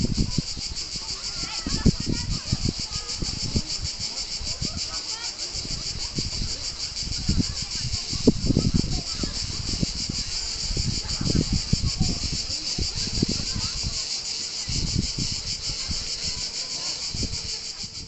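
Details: Near the beach at Palombaggia in Corsica, cicadas keep up a dense, high, rapidly pulsing buzz throughout, while frequent low buffeting thumps of wind or movement come and go.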